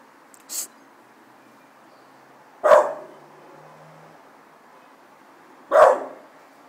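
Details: Jack, an American Bulldog, gives two loud single barks spaced about three seconds apart, each a sharp burst that fades quickly, with a quiet brief sound just before the first bark.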